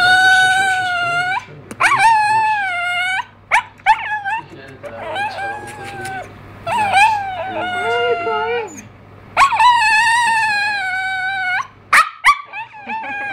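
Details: Pet dog indoors vocalizing as if trying to talk, producing long sustained howl-like notes with wavering pitch, broken by short yips and whimpers, with a steady low hum underneath.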